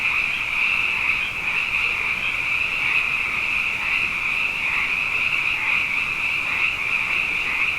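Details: Abundant frogs calling at night after two wet years in a row, a dense chorus of overlapping high trilling croaks that merge into one steady, shimmering band with no pauses, and no other sounds.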